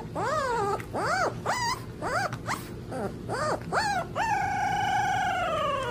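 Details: Howling puppy: quick rising-and-falling yelps about twice a second, each arched in pitch, ending in one long steady howl that slowly sinks, over constant low background noise.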